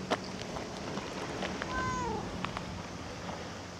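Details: A cat gives a single short meow that slides downward in pitch, set against steady low background hum and scattered faint clicks and knocks.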